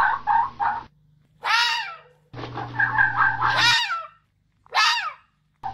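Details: Mating-season fox calls: loud, rasping, falling screams alternating with bursts of rapid stuttering chatter, with abrupt silences between phrases.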